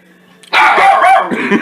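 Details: Domestic dog barking furiously in reaction to a soup maker's whirring noise: a sudden loud outburst after a quiet hum, sustained rough barking that continues to the end.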